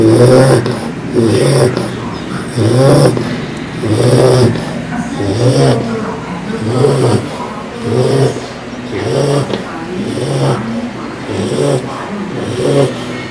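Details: Phoebe, a female English Bulldog puppy aged 4 months, snores heavily in her sleep, producing a long run of rough, rumbling snores repeated at a steady pace of just under one per second.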